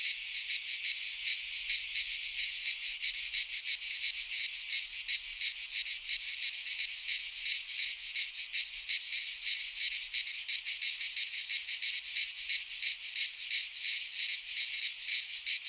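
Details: Midsummer cicada chorus recorded in a pine forest in Greece, a steady shrill buzz throbbing in quick regular pulses roughly three per second, loud and unbroken throughout, with nothing else audible.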